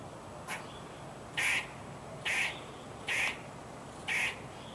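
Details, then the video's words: A squirrel calling with harsh, raspy barks, each about a quarter-second long, repeated roughly once a second in a steady series of five, over a quiet background hiss. "Squirrel Making Noise"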